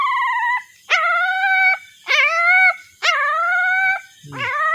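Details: Puppy crying while searching for its mother: four long, high, tonal wails with rich harmonics, each about a second, slightly wavering then dropping at the end, separated by short silences, with a brief lower yelp at the close.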